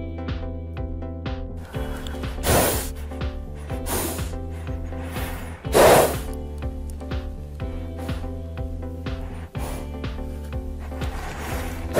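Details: Steady droning music with a few breathy noise bursts, and no clear animal voice.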